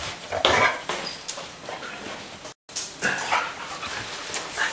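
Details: Three dogs at play, giving short sharp barks and whiny yelps in scattered bursts, broken by a brief silent cut.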